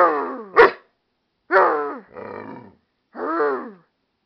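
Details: American Staffordshire Terrier and pit bull mix barking back at its owner indoors: a short sharp bark, then three drawn-out, harmonic, yowling bursts that slide downward in pitch, each under a second, separated by brief silences.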